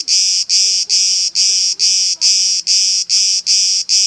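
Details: Cicada camouflaged on an olive tree at Elounda, Crete, Greece, making noise: a loud, harsh, high buzzing broken into regular pulses, each about a third of a second long, repeated roughly twice per second without pause.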